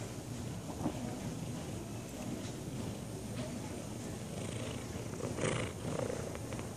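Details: Sunny, a lazy tabby cat, purring: a steady, low rumbling drone runs through the whole stretch, with a brief soft rustle near the end.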